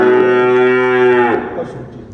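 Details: Dairy cow at a farm in Dhaka, Bangladesh, where heifers and cows yielding 20 to 45 litres of milk are kept; one long, steady, richly harmonic moo lasting over a second, then dropping away into quiet.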